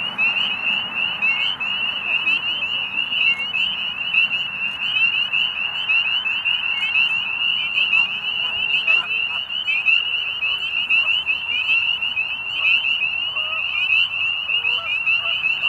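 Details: Spring peeper frogs giving mating calls at dusk at Middle Creek Wildlife Management Area, Pennsylvania, as days warm near spring: a dense chorus of high, piercing peeps overlapping continuously throughout, with faint lower sounds underneath.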